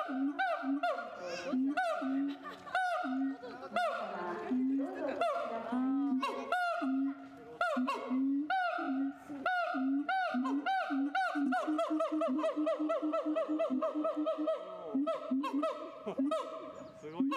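A siamang calls with loud, honking barks and swooping whoops, repeated quickly and building in pace.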